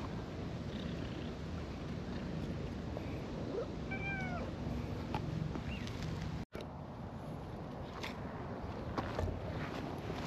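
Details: Stray cats, a cream cat and an orange tabby pair, out in a park in warm spring weather; a single short rising-falling meow about midway, otherwise steady low outdoor rumble with faint distant traffic.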